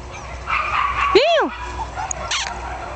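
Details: Month-old Jack Russell Terrier puppies, born 27 October 2010, give a single loud arched yelp rising then falling, with faint chatter and soft background hum around it.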